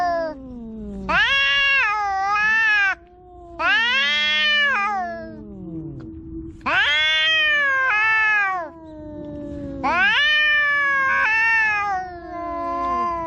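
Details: Pet cats quarrelling at home: loud, drawn-out wailing yowls about two seconds long, rising then sliding down, in four bursts roughly every three seconds, with a lower, steadier moaning voice held underneath between them.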